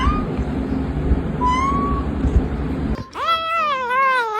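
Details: Domestic cat giving a clear, wavering call that rises, dips and rises again after about three seconds of low rumbling noise and a faint thin tone.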